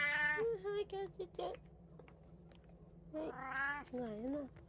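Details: Domestic cat, one of three house cats (Kijitora tabby, Munchkin, Abyssinian) at feeding time on 6 July 2024, giving two drawn-out harmonic meows, the second rising then wavering, with a brief squeak between and a person speaking Japanese nearby.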